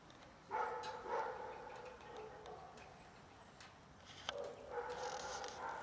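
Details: Two domestic cats mating roughly, their second time: a drawn-out, wavering harmonic yowl of about two seconds, then a pause and a second long moaning yowl, with faint background noise.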